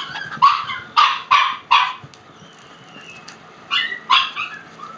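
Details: Shiba Inu puppies running through a house, several young dogs together: a burst of short, sharp yappy barks in quick irregular succession, a pause, then two more high barks, with a woman's voice calling them faintly.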